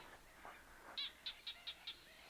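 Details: Barking gecko calling from a burrow in remote Botswana or Namibia, its voice carrying through the burrows so callers are almost impossible to locate; five short sharp clicking chirps repeated about every quarter second, quiet background.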